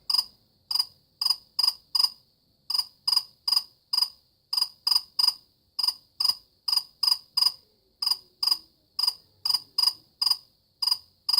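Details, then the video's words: A cricket chirps steadily, about two dozen bright, shrill pulses over eleven seconds, some bunched in close pairs and trios, with nothing else audible behind them. "كيف يصدر صرصور الليل شادي الصوت"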